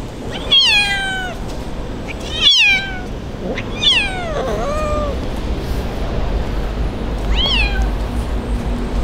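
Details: Abandoned kitten left by its owner, crying in the street before being rescued; four loud, high, falling meows with bright harmonics, spaced a few seconds apart, over steady low street rumble.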